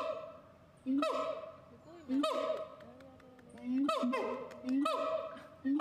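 A siamang gives loud, honking calls with rising swoops, repeated about every second.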